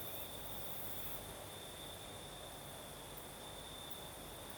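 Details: Night crickets in southern Crimea, night breeze: continuous high-pitched trill held steady throughout, with a wash of breezy background noise.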